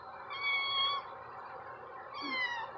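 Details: Domestic cat on its first time outdoors, staying close to the door it came out of; two drawn-out harmonic meows, the first falling slightly, the second after a short pause, with a person talking softly nearby.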